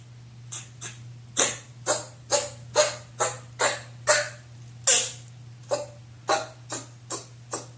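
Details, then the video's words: Maron, a two-month-old Chihuahua puppy on its fourth day in a new home, sneezing indoors: a run of short, breathy, explosive snorts about twice a second, some louder than others, over a steady low electrical hum. "マロン（チワワ）4日目 くしゃみをしだす"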